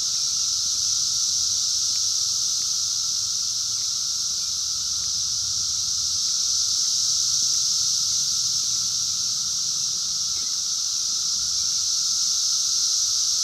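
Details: Seventeen-year Brood X periodical cicadas in the wild in 2021, filmed on a phone: loud, even, high-pitched buzzing chorus without pause, accompanied by a constant lower tone and faint clicks.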